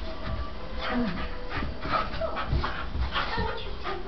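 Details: Staffordshire Bull Terriers Dylan and Spike mid play fight, with huffing pants and low growly grunts plus a few brief high whimpering squeaks over the scuffling.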